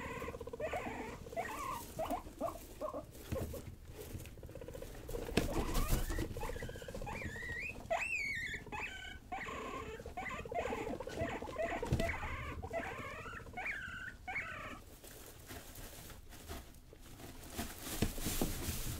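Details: Young pet guinea pigs Rosie and Buddy, playful and wild, give a run of high squeaky calls with wavering, rising and falling pitch, some short and chirping, others drawn out, over steady rustling and pattering from their movement.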